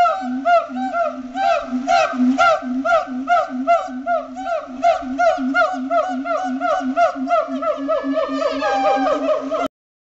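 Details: Territorial duet from siamangs at Riverbanks Zoo just after Christmas, loud booms and barks amplified by inflated throat sacs. A long, accelerating run of rhythmic whooping barks climbs to a frenzied peak, then cuts off abruptly.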